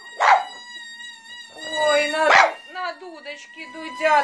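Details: Pet French Bulldog, female, barking and singing along to a pipe played beside her. Two short bursts are followed by a wavering, howl-like whine over the pipe's steady piping tone, with a woman talking nearby.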